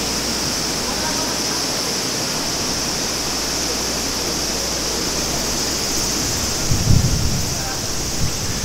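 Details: Summer cicada chorus beside the Maruike spring pond at Mt. Kirishima in Japan, a constant shrill buzzing band without pause, layered over a rushing stream with a brief splashing burst near the end.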